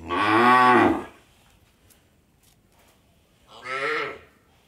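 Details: Cow on an Indian dairy farm: a loud, rough moo of about a second, then after a quiet gap a second, shorter and softer moo.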